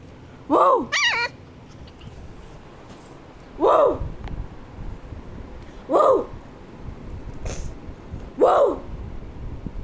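A Shih Tzu gives short, sharp barks spaced a few seconds apart, with one higher yelp early on.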